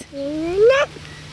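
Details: A short, rising whine from a six-week-old Lakeland Terrier puppy of the Octavia and Oscar litter, born May 29, 2018, climbing steadily before breaking off abruptly, with faint room noise behind.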